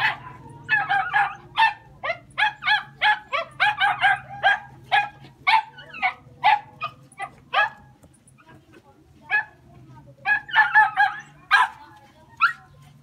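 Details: Jack Russell Terriers out hunting, barking in quick excited bursts with strong harmonic yaps, about two per second, pausing near eight seconds before a dense run of barks resumes; a steady low hum runs underneath.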